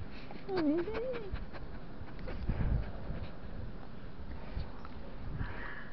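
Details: Siberian Husky around cheese bread, giving one short whine that dips and then rises over under a second, followed by soft breathy sounds and low background rumble.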